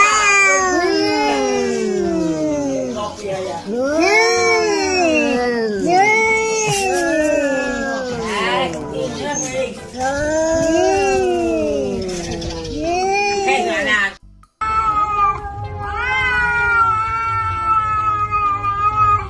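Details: Kitten meowing amid cats fighting: a rapid string of short, arched, whiny meows tumbling over one another for about fourteen seconds, then after a brief silence a steadier, higher-pitched drawn-out meow.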